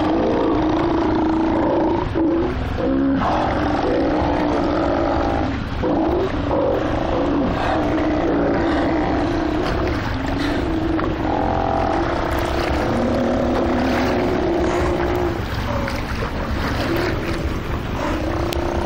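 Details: Steller sea lions (Eumetopias jubatus), animals of about 2000 lb, roar and growl in deep, overlapping bellows from a crowded haul-out at Belle Chain Islets in the Strait of Georgia, a few km west of the Fraser River mouth.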